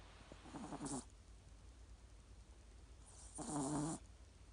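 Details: Yorkshire Terrier, small but loud, snoring while asleep: two raspy snores, one at about half a second to one second and a longer, louder one around three and a half to four seconds, separated by quiet room hiss.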